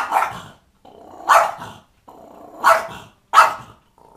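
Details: Cranky French Bulldog voicing its displeasure: four short, harsh bark-growls about a second apart, each a sharp burst followed by a lower grumbling rumble, with brief silences between.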